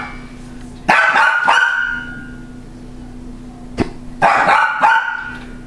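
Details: A female pet dog barks at a motion-sensing toy that laughs and rolls, at her loudest: two sharp bursts of loud, harsh barks about three seconds apart over a steady low hum.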